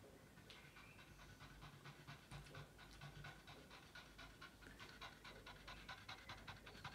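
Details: A tired Boston Terrier, obsessed with its ball while playing fetch, pants in quick, soft breathy bursts over a low indoor hum; the breathing stays faint and steady throughout.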